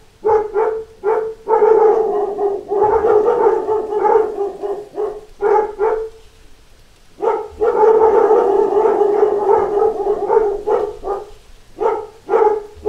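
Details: Dogs in a pack barking at door knocks: choppy runs of quick barks, a quieter pause around six to seven seconds, then a dense burst of barking and a few spaced barks.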